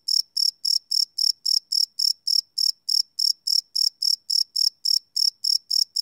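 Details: Crickets chirping at night, recorded live on a Sony PCM D100 field recorder: a steady train of high, ringing chirps, about three and a half per second, each a short pulse, with a silent background.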